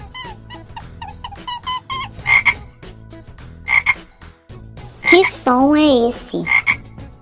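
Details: Frog croaking in short, rasping bursts spaced one to two seconds apart, mixed with faint chirping notes and a louder wavering whistled sound midway.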